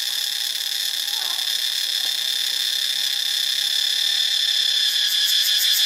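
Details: Cicada chorus recorded in Ubon Ratchathani, Thailand: an unbroken, piercing high buzz of many insects. A brief faint lower sound appears near the start, and the buzz swells slightly louder and pulses more clearly toward the end.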